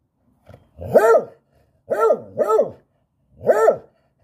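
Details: A beagle, likely a puppy, gives four loud, harmonic barks as an invitation to play, two close together, each rising then falling in pitch.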